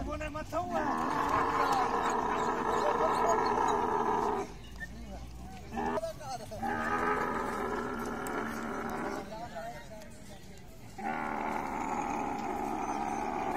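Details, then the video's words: A mating camel bellows in long, drawn-out, moaning blasts. Several sustained harmonic bursts are broken by brief pauses, with the last rising again after a quieter stretch. "Camel love full video|| mating sounds"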